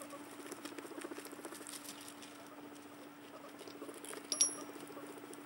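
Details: Two guinea pigs make soft, rapid chattering and pattering sounds, with a brief high squeak near the end.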